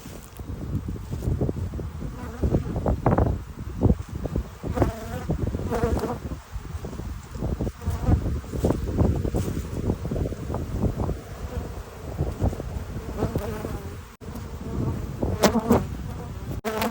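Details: Honey bees at a hive around 8 p.m., gathering below the entrance unable to get in: a steady low hum of many bees with louder buzzing passes of single bees flying close by.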